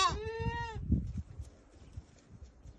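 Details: Goat from a herd of about thirty goats with three young, bleating once: a clear, drawn-out, slightly falling cry lasting under a second, followed by low shuffling and rustling noises.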